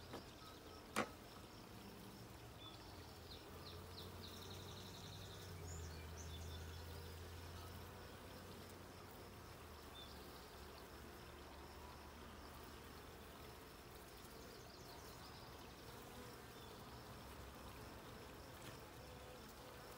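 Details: Honey bees at a hive during a check of the blue hive on 20 June 2022; a low steady droning hum with a rising buzz around the middle and a sharp click near the start.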